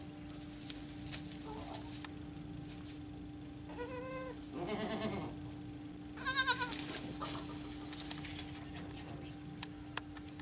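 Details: Baby goats bleating: several wavering, harmonic-rich cries around four and six-and-a-half seconds, one short faint call earlier, over a steady background hum and scattered clicks.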